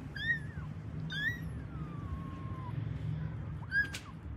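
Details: Domestic cat family with kittens and their mother; several high, drawn-out meows with bent, wavering pitch, one long call sliding slowly downward, a short sharp final meow, over a steady low rumble of background noise.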